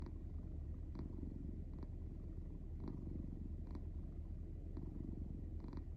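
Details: Pet cat sleeping soundly and snoring: a continuous low, rapid rumbling purr-like drone with softer breathy puffs recurring roughly every second.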